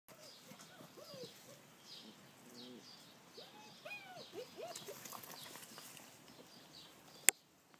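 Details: Five German Shepherd puppies in a garden whine softly in short, arching, high-pitched whimpers that overlap one another.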